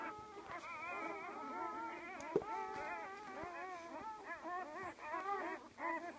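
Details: Twelve newborn Great Dane puppies just born to a dam named Bay; a dense overlapping chorus of thin, wavering squeals and whimpers that rise and fall, with soft rustling throughout.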